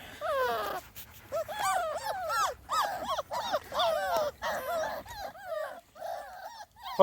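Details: Whining and squealing from a Small Munsterlander litter at two and a half weeks, out of doors for their first time; bursts of bent, wavering cries come in clusters separated by short pauses, ending with a sharp noise.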